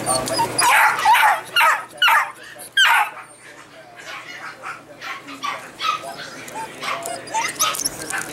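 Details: Several golden retriever puppies in Washington state yelp and yip in short loud bursts, strongest early on, followed by softer scattered squeaks and whimpers, with people talking nearby.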